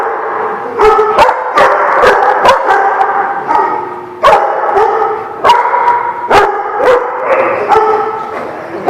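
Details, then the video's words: Several dogs on 2/11/17: quick clustered barks, some in rapid doubles, over a steady chorus of whining, yipping voices that never fully stops. "The Barking Lot"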